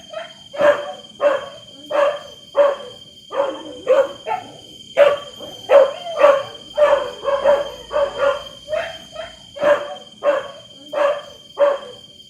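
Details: Dogs bark in a long steady run of sharp, raspy barks spaced roughly half a second apart, with occasional short yelps in between, over a constant faint high whine.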